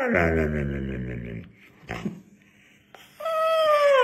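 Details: Dog vocalizing, a drawn-out harmonic moaning howl lasting over a second, then a pause with faint sounds, followed by a higher, steady whine-like tone that slowly falls.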